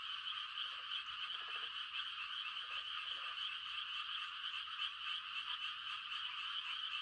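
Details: A steady high frog chorus on a quiet rural night in rice-planting season, with a handful of short, lower pulsed croaks early on and then just the unbroken shimmering trill.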